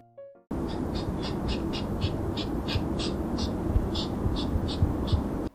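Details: A female hedgehog's courtship call, a fast series of short, sharp huffs about three per second, made loudly as she circles with a male circling around her.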